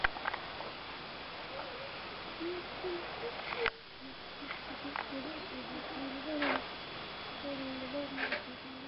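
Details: Giant otter at feeding time at a wildlife centre in Derbyshire, giving low, wavering hums and whines broken by a few sharp clicks.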